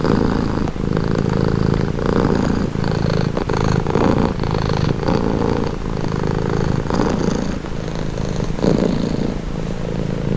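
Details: House cat purring without pause, a low buzzing rumble swelling with each breath roughly every one and a half seconds, slightly softer toward the end.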